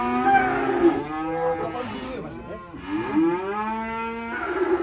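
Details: Black sacrificial cattle coming down from a truck at an inland pen, one of three big animals. Two long, rich, harmonic moos: the first wavers and then falls, and the second swells and holds steady before breaking off.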